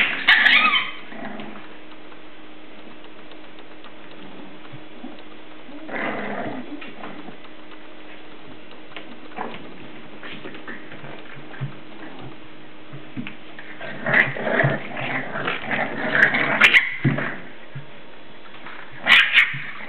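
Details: Seven-week-old English Bulldog puppies play indoors, growling and yipping in short, scrappy bursts with quiet gaps between; English Bulldog.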